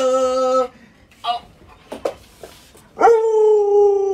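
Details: Luoluo, a pet Alaskan Malamute, reacts to its owner lying sick in bed. Two sustained, tonal howls, an early one and a steadier, slightly falling one at the end, are separated by a quiet gap with a few soft clicks and taps.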